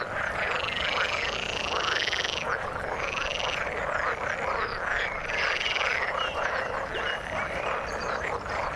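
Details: Frogs in the water form a thick, unbroken chorus of croaks, with a few louder buzzy calls lasting about a second standing out above the massed, repeated arching notes of many other callers.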